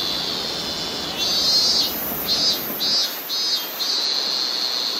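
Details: Robust cicada (Hyalessa maculaticollis) sings loud, repeated buzzy pulses over steady high insect trilling, recorded in August 2020 in rural, nature-rich Bungo-Ōno, Ōita Prefecture, Japan.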